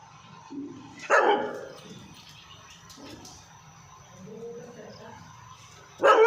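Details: A dog, tagged as a Labrador, gives a loud, abrupt bark, followed after a pause by another sharp bark.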